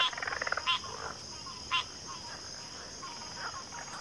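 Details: Backwater frog chorus opening with a quick rattling trill and sharp croaks, then sparse scattered calls fading against a steady high whine.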